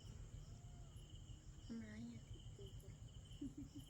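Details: Crickets and other small insects calling on a farm on 15 August, a steady high continuous trill holding through the whole stretch, with a brief human voice in the middle and a low rumbling background.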